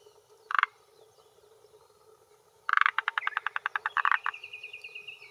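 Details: Forest green tree frog male in Japan, early June 2021 near 18:10, croaking from a hillside pond shore to claim territory and draw females: one short croak, then a long run of rapid clucking pulses, with a thin sustained whistle at the end.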